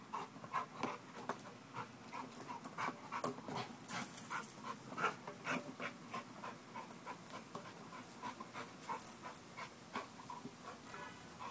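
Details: American Bulldog during a muscle-building workout, panting hard: quick breathy pulses roughly three times a second, steady and rhythmic, with faint scuffing between breaths.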